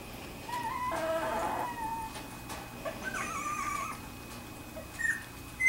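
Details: Two-week-old Wirehaired Pointing Griffon puppies of the "G" litter at Bluestem Kennels, indoors: a drawn-out, mid-pitched whine with a raspy burst near one second, then a wavering whimper that rises and falls, and short squeaks at the end over faint room hiss.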